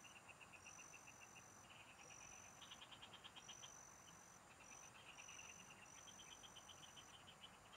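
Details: Frogs in a field chorus, recorded while fishing: overlapping series of fast rattling pulses, one caller after another, nearly continuous, while a high thin whistle-like whine repeats in drawn-out stretches above a constant hiss.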